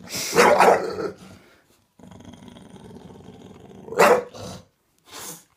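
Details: Pet bulldog giving loud, rough, growly barks in two harsh bursts about three seconds apart, with a low rumbling growl between them and a shorter bark at the end.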